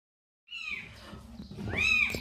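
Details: Domestic cat meowing at a house after a calico mother cat carried a kitten there and left it: two high, arched, plaintive meows, the second louder and longer, with a faint low hum behind.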